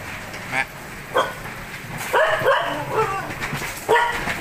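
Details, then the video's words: Pet dog nearly two years old, barking to call its owner to take out the trash; it also barks when it needs to go to the toilet. Short sharp barks at irregular intervals, about five bursts, over a faint indoor background. "Bé chó thông minh biết kêu chủ đổ rác khi có người"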